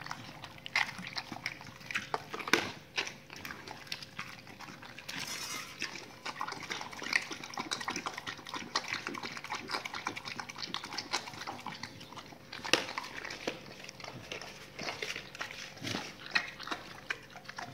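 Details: Dogs crunch through raw salmon on the bone and raw chicken carcasses, dense wet chewing and gnawing throughout, with a few sharp bone snaps and a brief scraping burst, low hum behind.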